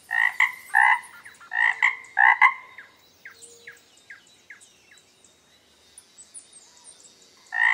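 A frog gives loud, nasal double croaks in quick succession, then pauses before croaking again.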